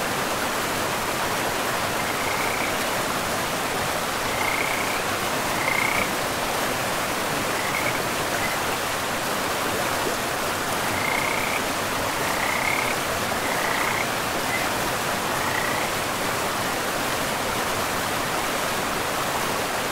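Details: Frogs near a forest river, with scattered short trilled calls spaced a second or two apart across the middle of the recording, set against a loud, continuous wash of rushing water.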